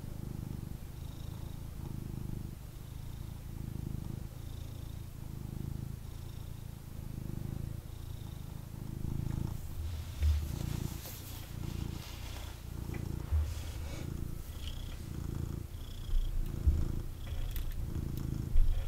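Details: Male kitten wanting cuddles purrs continuously while held, a deep rumbling drone rising and falling with each breath, soft nasal whistles, and rustling from shifting fur and handling in the second half.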